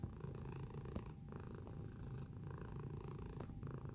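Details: Domestic cat filmed close up, purring steadily: a deep, grainy vibration with a regular breathing rhythm, the louder phases broken by brief lulls about once a second, over a faint constant electrical-like tone.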